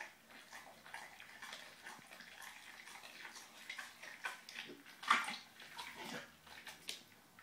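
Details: A puppy, a Bullmastiff crossed with an English bull terrier, tackles its first fish, giving moist crunching and lip-smacking bursts that peak in a loud bite around five seconds.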